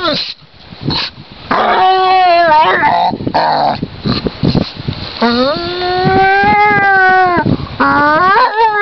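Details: A basset hound enjoying itself on a lakeside in spring, rolling about and wailing: long, wavering, drawn-out howls that rise and fall, repeated in several bouts with brief gaps, some short yelps between.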